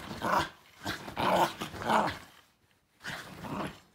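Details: Shiba Inu dog reacting to a hated backscratcher with loud, rasping growly grumbles: three close bursts, a brief silence, then one drawn-out grumbling growl.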